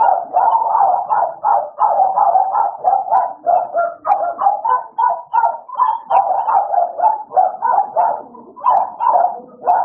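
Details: American Bully dogs named Idol and Alice at play, giving rapid, uneven barks about three per second, mid-pitched and continuous, with a few breathy gaps between bursts; no other sounds stand out.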